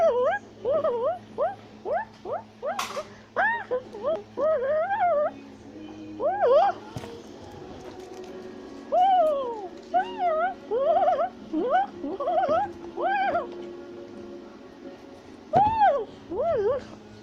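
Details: Climbing a tree in South America, a tufted capuchin gives a long run of chattering whines: many quick rising-and-falling squeals packed closely together, loud at first, then thinning into looser groups over a constant low hum.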